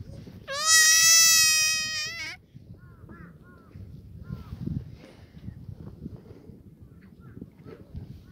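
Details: Black goat at a farm in Gimhae, South Korea, on a clear Sunday morning in the goat yard; one loud, wavering bleat lasting almost two seconds, then faint distant bleats and low background noise.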